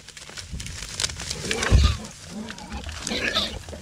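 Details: Wild boars in everyday life, a sow mildly annoyed by piglets and a boar keeping order with a stranger in the territory, rooting in the ground; loud deep grunts and snorts overlap higher squeals, with rustling throughout.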